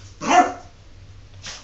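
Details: Jordan, a pet dog avoiding a bath, lets out one loud harsh bark followed by a fainter second yelp, indoors in a small room.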